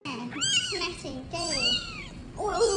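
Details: Homeless kittens giving three high, arching meows, each rising then falling with bright harmonics, spaced about a second apart, with a person talking in the background.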